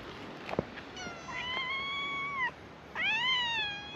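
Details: Free-roaming cats greeting tourists at a scenic viewpoint on an island; two drawn-out meows, the first level and slightly falling at the end, the second rising then easing down, over steady outdoor hiss.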